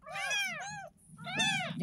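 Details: Ten-day-old kitten, found in a gutter in front of a house, meowing during its first bath: two loud, high, wavering cries, each with a brief falling tail, separated by a short pause, with soft background noise.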